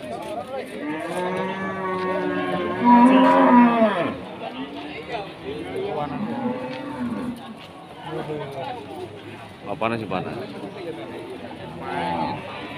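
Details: Limousin cattle at Pasar Wage Pati cattle market, Pati: a loud, drawn-out harmonic moo peaks around three seconds, with fainter overlapping lowing from other cattle and a background of market chatter.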